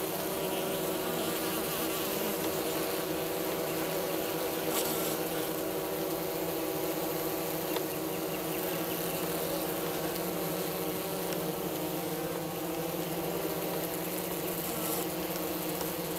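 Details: Honey bees of a Minnesota hygienic line, kept south of St. Paul, active outside the hive on a mild March 16 day while clearing out their dead; dense unbroken wing drone with steady harmonic hum.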